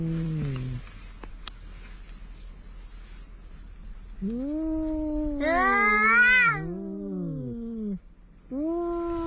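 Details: Quarrelling cats by the sea, a big ginger among them: a falling moan, a pause, then overlapping yowls from both cats, one climbing high and strained, the other lower and wavering, before a final rising wail.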